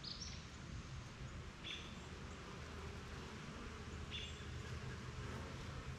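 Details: Bees working at a backyard hive, flying out for pollen and back. A low, steady droning hum with faint banded overtones runs throughout, broken by brief high bird chirps near the start, at about two seconds and at four seconds.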